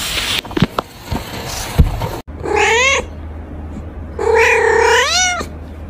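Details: Two drawn-out kitten meows come from baby cats playing, each wavering and bending upward at the end, preceded by soft rustling and knocks of play.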